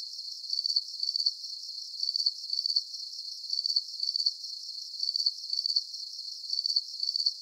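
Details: Steady cricket chirping meant as a calming sleep soundscape: shrill pulsed chirps arriving in pairs at a regular even pace over a soft high hiss, nothing else audible.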